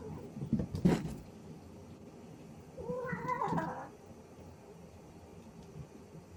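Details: Happy cat named Biscotti making excited noises indoors: a short, bright, rising-then-falling chirping meow around the middle, preceded by a brief rustling burst near the start, over a low steady room hum.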